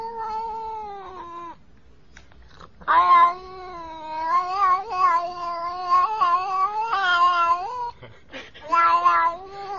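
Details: Domestic cat caterwauls loudly in long, wobbling, whining yowls whose pitch rises and dips. They run almost without a break, with short catches and hiccups between phrases.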